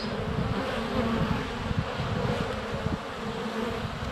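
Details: Honey bees swarming in flight at the hive entrance, sunny February, recorded inches away with a GoPro Hero 7 Black; thick low humming with rapid fluttering pulses as individual bees pass near the lens.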